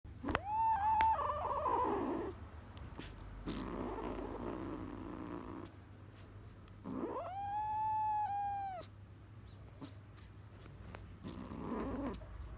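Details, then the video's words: Kitten making unusual sounds: two long, drawn-out, steady-pitched meows with rich overtones, one at the start and one near the end, separated by rough, purring grumbles and shorter broken cries. "the kitten making some crazy sounds!"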